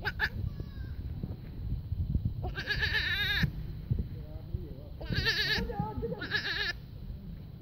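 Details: Goat kids bleating three times, each a wavering, quavering cry under a second long, spaced a couple of seconds apart, with softer calls and constant low background rumble between them.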